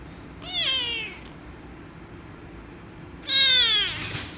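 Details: An angry rescue kitten meows loudly as it is petted, two strained harmonic meows, the second louder and harsher, falling in pitch, separated by a quiet gap with soft hum.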